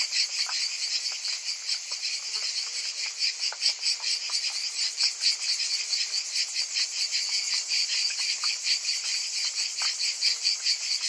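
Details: A summer cicada chorus: shrill, sizzling high-pitched drone with quick rhythmic pulses, a few sharp clicks mixed in, loud and unbroken.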